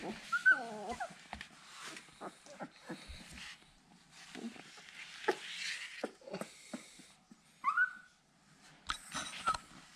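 A Siberian Husky puppy gives high, wavering whines while calling for its mother.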